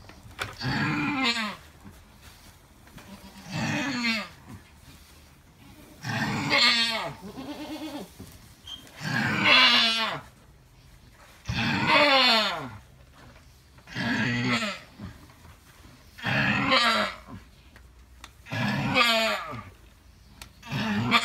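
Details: Alpine goat in labour, delivering triplet kids: loud, drawn-out, strained bleats with falling pitch, about eight in a row, repeated roughly every two and a half seconds with brief quiet gaps between.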